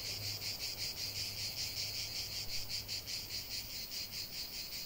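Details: Singing cicadas, a piercing high buzz that swells and fades in distinct pulses roughly two and a half times a second, over a faint low steady hum.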